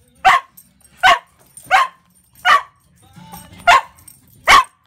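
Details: A dog singing along to the birthday song gives six short, loud, yowling barks about every three-quarters of a second, with a faint low hum between them.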